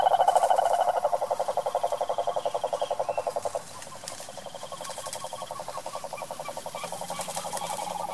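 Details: Wild cane toad (cururu) in Brazil's sertão, calling: a loud, rapid pulsed trill steady in pitch that fades after about three and a half seconds, while a softer overlapping trill carries on to the end.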